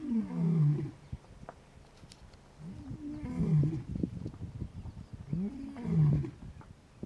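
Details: Wild adult male lion, leader of the Gomondwane coalition, roaring for his brothers in the hippo pools territory of Kruger National Park, South Africa; three deep, falling grunts, one about every 2.7 seconds, with low rumbling background.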